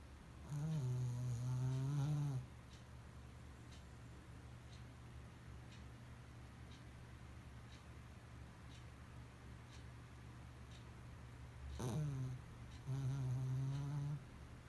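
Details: Pomeranian named Shimba asleep with eyes open, snoring indoors: two drawn-out, low, rumbling snores of about two seconds each, roughly twelve seconds apart, over a steady low hum.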